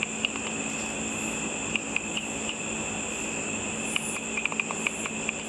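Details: After dark, bats flying over a pool under its lights feed on insects. A frequency divider detector renders their ultrasonic calls as isolated dry clicks that bunch into a quicker cluster near the end, over constant high-pitched hiss.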